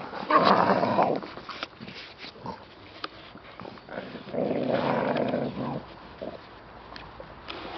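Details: American Staffordshire Terrier growling in two long, rough, low bursts: one lasting about a second near the start and a longer one of about a second and a half midway. Quieter snuffling and rustling fill the gaps between them.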